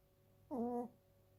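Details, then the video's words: Sleeping two-year-old female Chiweenie gives a short whistling snore of under half a second, a slightly wavering tonal breath with stacked harmonics, in a quiet room. "チワックスの日常 ちょこびちゃん 【いびき】"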